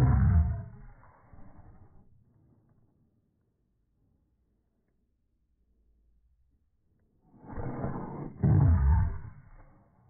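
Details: Boston Terriers play-fighting indoors over a ball held by their owner, giving deep rumbling growls: a loud burst at the start fading away, then a quiet gap, then another harsh, throaty growling bout near the end.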